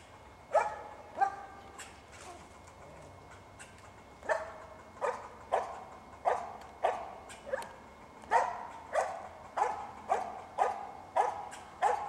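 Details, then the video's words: Cricket, a squirrel dog, treeing two squirrels at once, gives repeated loud barks; a few opening barks, a pause, then a long run of evenly spaced barks, about one and a half per second, over a faint constant hum. "Squirrel Dog Cricket"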